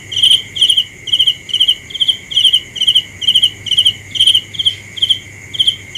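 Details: Rapid cricket chirps repeat a little faster than twice per second, each chirp a shrill burst of several clicks, set against a continuous faint high-pitched hum.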